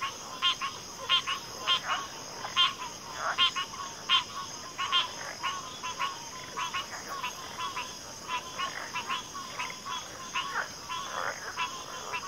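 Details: Frog chorus thinning out, with loud pulsed croaks early, then softer, scattered calls over a continuous high-pitched drone.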